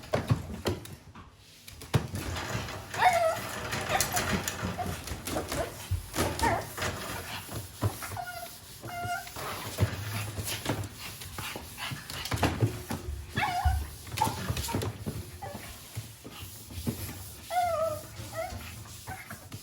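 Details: A young Japanese Chin, a quiet breed, whines now and then indoors: short, thin, bending squeaks spread over several seconds apart, mixed with bumping, rustling and handling sounds.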